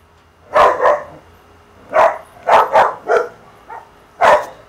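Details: Dogs barking outdoors, recorded on a Samsung CL-65 camera during a photo shoot while other dogs get jealous; about seven sharp, short barks in uneven bursts, some in quick pairs, over faint background hiss.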